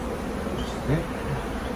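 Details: Western honey bees give a steady, low, droning hum from an open colony as frames are lifted out during a July 2021 hive inspection in a home apiary in Hertfordshire, UK.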